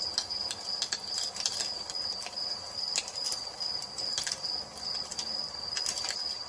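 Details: Evening nature ambience with a fireplace, where crickets sustain a constant high ringing trill while burning logs crackle in irregular bursts.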